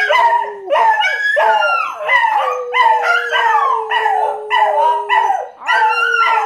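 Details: Domestic dogs, set off by their owner's own howling, give a chorus of quick, repeated sliding howls, about one and a half per second, uneven in rhythm, above a continuous low drone.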